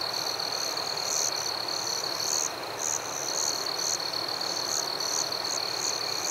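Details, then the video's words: Crickets in a forest at night: a steady, high, ringing trill runs under bright, short chirps repeated roughly every third of a second, with a dense hiss of background noise throughout. "Crickets at Night"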